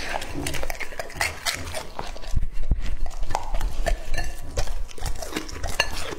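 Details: Lucky, a two-and-a-half-year-old male English-type Labrador Retriever, eats raw meat at home. Wet chewing and crunching come in dense, uneven bursts, with clinks against a bowl and a faint voice in the background.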